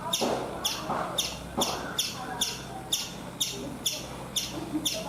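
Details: Calling from a coconut tree in India, a chipmunk repeats short, high-pitched chip notes about twice a second, evenly spaced, over a soft murmur of lower background sound.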